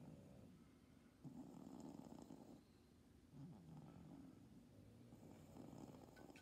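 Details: A cat's stertorous upper airway breathing, not stridor: soft, low, snore-like rasping breaths about a second long, separated by quieter gaps, over a steady faint background hiss.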